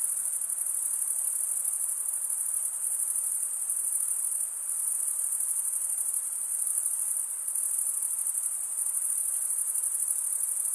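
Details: Male crickets stridulating, wing scraped across serrated wing vein, producing an unbroken shrill chorus high in pitch, steady in loudness with one brief dip near the middle; soft background hiss only.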